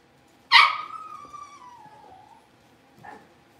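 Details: Blenheim Cavalier King Charles Spaniel puppy, one of a litter of five born at New Year's, in an indoor puppy pen: a sharp loud yelp that slides down into a drawn-out whine of about two seconds, then one short quieter yelp.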